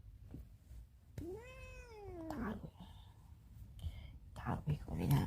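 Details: House cat meowing to get out: one clear arched meow lasting about a second. Afterward a person speaks in Cantonese, with rustling and handling noises.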